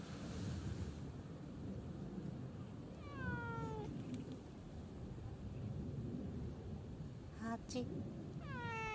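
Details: Answering a person calling his name, the male community cat Hachi gives falling meows several seconds apart, each bending downward in pitch, with a brief clatter and low outdoor rumble in between.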